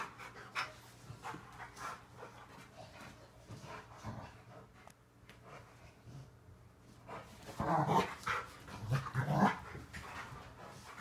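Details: Rottweilers play-wrestling in a living room make deep, rasping growls mixed with quick, heavy panting breaths, swelling into louder, throaty snarls near the end, while a person talks in the background.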